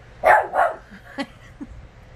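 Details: Four-year-old female West Highland White Terrier protesting indoors after her ripped toy is placed out of reach: two loud yappy barks followed by short grumbles, with a woman talking to her.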